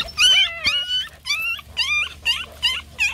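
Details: Puppies crying loudly for attention after one fell: a series of high, bending whimpers and squeals, roughly two per second, some descending at the end, over a low steady hum.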